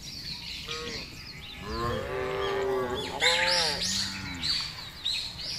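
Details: Cattle out on a wide grass field, let to graze freely while being fattened: a couple of drawn-out, wavering moos under busy chirping birdsong, the birds louder in the second half.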